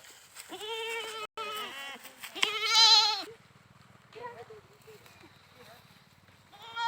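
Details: Goat bleating loudly in two long, quavering calls with strong stacked harmonics, the second rising harsher and louder, then a low steady hum with faint chatter and a brief bleat at the end.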